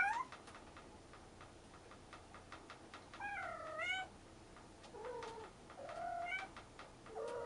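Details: Rescued stray kitten siblings meowing to each other: several drawn-out, wavering meows, some lower and rising, over a noisy background with rapid clicking or ticking sounds.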